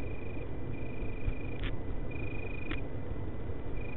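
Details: Singing male Italian tree crickets in Berlin, 24 August 2013: thin steady-pitched trills in bursts of roughly half a second to over a second, separated by short pauses, over heavy low rumbling background noise with a few sharp clicks.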